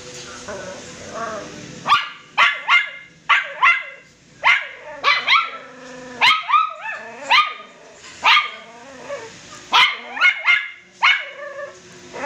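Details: Poodle cross puppies, a family's pets, giving high-pitched yapping barks in irregular clusters, several sharp yips following one another with short pauses between bursts; no other clear sounds.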